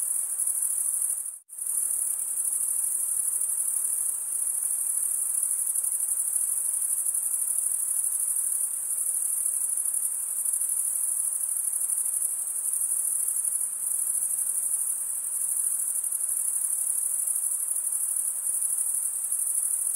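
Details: Nonstop shrill chirping of crickets, a high rapid pulsing trill, cuts out for a split second early on, then resumes evenly for the rest, with no other sound.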